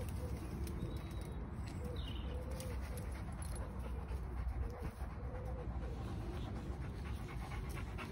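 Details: Golden Labrador Retriever panting steadily during tricks and problem-solving training in woods on 26 May 2021; rapid breathy huffs run throughout, low and noisy, with faint bird notes and rustling in the background.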